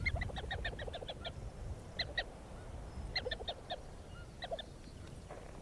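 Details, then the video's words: Prairie dog heard calling from inside its burrow in Canadian grassland, a repeated gobbling like a little turkey: rapid bursts of short stacked notes in groups of five to eight, pausing between bursts, over low rumbling background noise. "They make a little sort of gobble, gobble, gobble, gobble, gobble."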